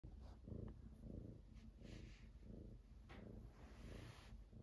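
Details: Clam Chowder, a Domestic Shorthair cat up for adoption, recorded on 24 October 2023 in the afternoon; steady low rumbling purr in rhythmic pulses roughly every second, with faint indoor hiss.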